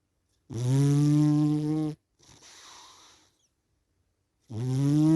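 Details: A cat snoring in its sleep: a steady, resonant, humming inhale lasting about a second and a half, a quieter airy exhale, a silent gap, then the next droning breath begins.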